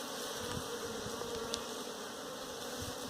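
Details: A colony of honey bees caught from a hive for beekeeping gives a dense, continuous buzz with slight wavering, over a steady high background tone and a brief click midway.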